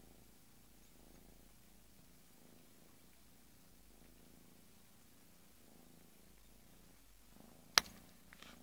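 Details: Bengal kitten purring softly indoors, a low rumbling purr rising and fading in cycles about once a second, with a sharp click near the end.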